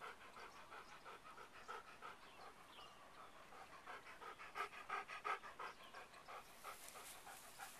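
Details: Dog having snacks during a walk, panting quickly and steadily, about three breaths per second, soft and breathy, with a slight rustle near the end.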